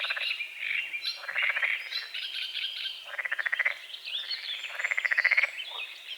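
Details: Frogs croaking at dawn over a small lake on a forest edge: loud pulsed, rattling bursts about half a second long, repeated every second or so, with high bird chirps and twittering layered over the chorus.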